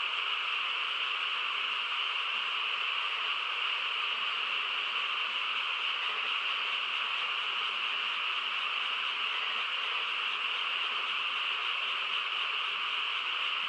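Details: A night-time frog chorus in a quiet rural setting, heard as a continuous, steady shrilling roar with two layered pitches and no distinct notes or gaps throughout.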